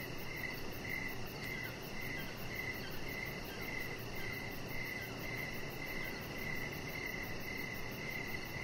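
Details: Outdoor evening cricket chorus by a deck with decoration lights, a chihuahua puppy named Rocket lying close by. Bright high chirps come in a steady run of roughly two per second over a constant hissing background.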